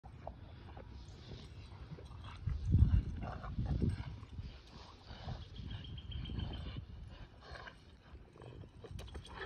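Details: Low rumbling growls from Kumo the Keeshond and Sully the Boston Terrier, two dogs playing tug with their favorite toy, swelling in bursts around the middle and then easing into softer grumbles with some scuffling.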